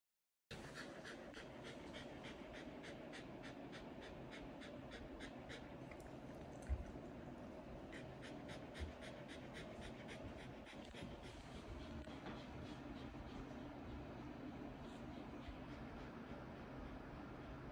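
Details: Shiba Inu named Ranmaru panting rapidly indoors in front of an air conditioner, hot after exploring outside on a walk; quick, steady breathy huffs repeating throughout with a soft continuous hum behind.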